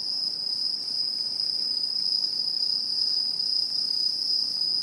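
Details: Continuous shrill trilling of autumn insects in a 2016 satoyama landscape in Japan, a single sustained high ringing note with a faint higher band and no pauses.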